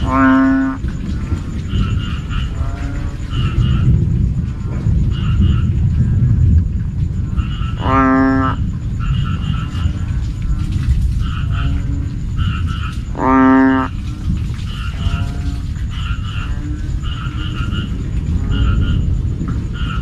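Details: Banded bullfrog calling in the evening, loud enough to keep people awake: three deep, drawn-out nasal calls of about a second each, near the start, eight and thirteen seconds, over a steady chorus of short paired chirps and low rumble.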